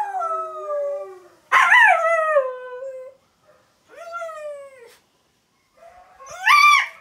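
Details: Siberian Husky howling at videos on a screen: three separate wavering howls, each rising and then sliding down, with short quiet gaps between them and a faint screen tone at the start.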